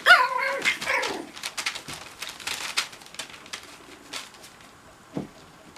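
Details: Cocker Spaniel puppies at play: a sharp, high yelping bark with a falling tone opens, followed by scuffling and clicking sounds, a faint drawn-out whine near the fourth second and one short low grunt near the end.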